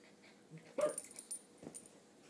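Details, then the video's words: Red toy poodle named Donut, a three-year-old female, during a usual play game: one brief high tonal whine, thin and slightly rising, surrounded by soft rustles and a few quiet taps in a room. "Donut and Her Whine"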